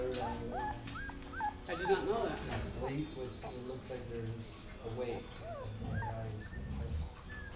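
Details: Siberian husky puppies, 16 days old, being vocal while lying on their backs indoors: high, thin whimpers and squeals with quick rising and falling sweeps, repeated in short bursts, while people talk softly nearby.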